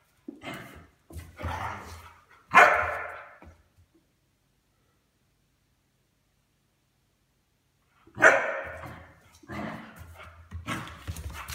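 A Weimaraner gives rough, throaty barks and grumbles in short bursts, then falls silent before barking again.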